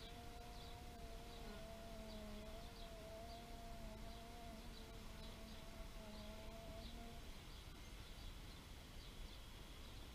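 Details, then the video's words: Bee buzzing in a steady, slightly wavering hum that holds for about seven seconds, then fades. Faint, high bird chirps repeat throughout over a low outdoor rumble. "Bee therapy meditation nature sounds"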